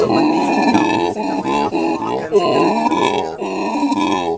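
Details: Captive male howler monkey at Monkeyland, South Africa, calling beside his mate and three young; a steady stream of deep, rough, grunting roars, harmonically rich and gravelly, with brief breaks between bursts.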